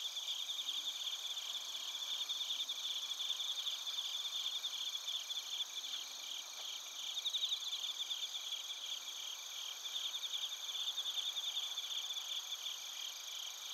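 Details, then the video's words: Bell crickets and other crickets chirping in Narita, Chiba, Japan, captured on a TASCAM Portacapture X8: a dense, continuous high chorus of overlapping ringing trills and pulsed chirps, with layered shrill tones far above and no other sounds. "スズムシとコオロギの鳴き声 - Chirping of crickets"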